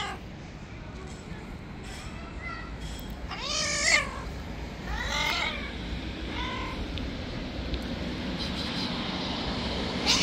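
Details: Angry, wild white stray cat living on the street, never wanting to be tamed, gives several drawn-out harmonic meows with a rising then falling pitch, spaced a second or two apart, over steady outdoor background noise.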